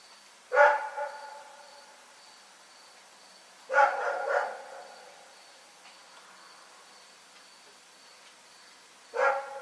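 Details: Dog named Rex barking during the night, three forceful barks, the middle one doubled, separated by about three and five seconds of quiet.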